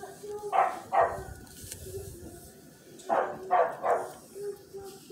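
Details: Miniature Australian Shepherd puppies indoors: two pairs of short high puppy barks, with soft squeaky whines in between and a faint voice in the background.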